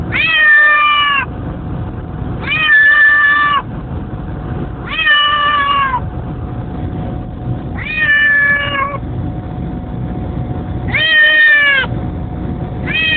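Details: Domestic cat protesting a car trip to pick up a child from school, repeating long complaining meows roughly every two to three seconds, six in total, each slightly falling, over continuous low engine drone.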